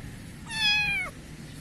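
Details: A black kitten in a garden in Pakistan gives a single clear meow lasting about half a second, held steady and then dipping at the end, against a quiet low background hum.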